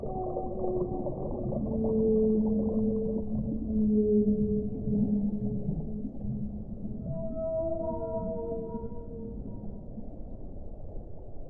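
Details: Whale song: a sequence of long, low, level moans in the first half, then a higher, wavering, rising cry with layered overtones near the end, over a continuous underwater rumble.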